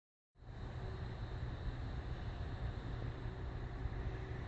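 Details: Steady low broadband rumble like a vehicle or air conditioner after a brief silence, with no snoring or other animal sound.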